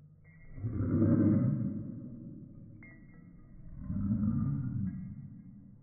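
A toy poodle gives two drawn-out, low, throaty roars, each lasting about a second.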